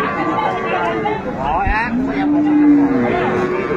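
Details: At the Ambari haat in Dinajpur, Bangladesh, on 22 April 2024, a cow being sold with her calf gives a single long, steady moo. Men's voices and market bustle carry on around it.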